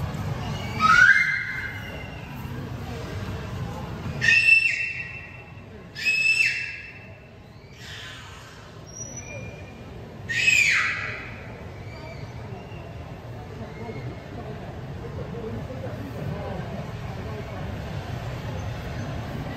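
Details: A beluga whale playing with its toys lets out rising and flat whistles inside short noisy bursts, about five in the first ten seconds. A faint high chirp follows, then only a low background hum.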